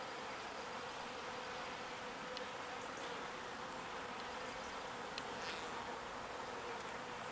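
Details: Bees busy collecting pollen and ferrying it to the hive: an even, continuous buzzing hum from many insects, with scattered faint clicks and brief higher notes over the drone.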